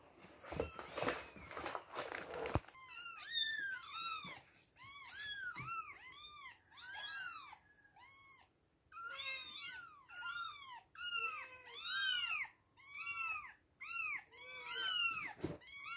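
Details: Chorus of two-week-old kittens at milk time, shrill arched mews coming fast and overlapping, after a short burst of handling noise at the start.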